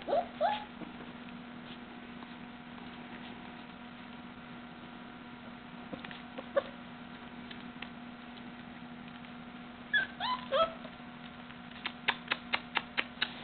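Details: Three Cardigan Welsh Corgi puppies, 4½ weeks old, playing, give short, high squeaks and yips in scattered bursts over a steady hum.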